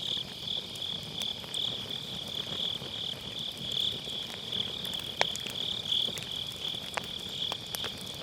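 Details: Grass insects on an autumn night beside a round fire-pit campfire, recorded with an MKE600 microphone using low-cut: a steady, high, shimmering trill pulses without pause while firewood crackles in sharp, scattered pops, one louder snap near the middle.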